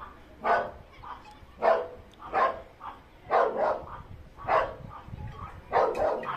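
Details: Chihuahua barking in short, sharp bursts, about six barks spaced unevenly over several seconds, each a bright yappy burst with quiet pauses between.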